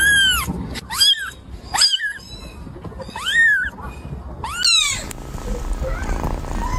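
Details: Kitten giving five high, arching mews in quick succession about a second apart, each rising then falling, with faint background noise and a rustle at the end.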